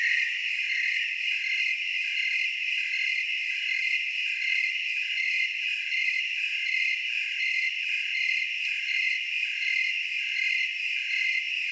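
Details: Several tree crickets calling together in the Willamette Valley, Oregon, layered high trills, one voice beating in short regular pulses more than once per second over a constant ringing drone.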